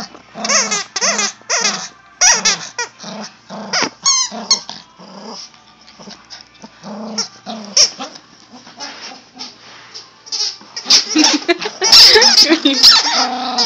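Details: Yorkshire terrier giving high, squeaky whines and short yips in quick irregular bursts, some notes sliding up and down, with a brief gap mid-way and a louder, noisier flurry near the end; music and a voice faintly behind.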